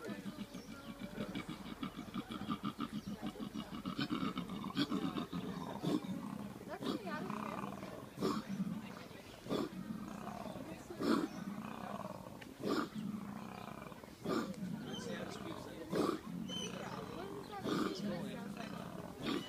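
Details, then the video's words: A koala in Victoria, Australia, gives a deep, rasping bellow of snoring inhales and belching grunts, repeated in rhythm. "Koala - What sound does it make?"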